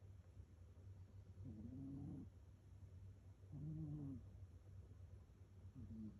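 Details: Rescued house cat snoring in its sleep, three low raspy breaths with a faint whistling tone, about two seconds apart, a steady hum underneath.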